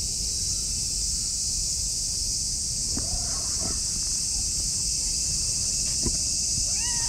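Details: Clingy orange tabby cat mewing sweetly as it rubs against a person's legs outdoors; a couple of short, soft meows midway and a clearer upward-bending meow at the end, set against continuous high-pitched insect chirring.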